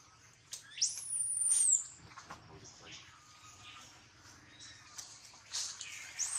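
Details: Baby monkey whose leg was bitten almost through by a big male monkey: one shrill squeal sweeps sharply upward, then holds high and thin for about a second before fading. Soft clicks and rustling follow, with a faint cry near the end.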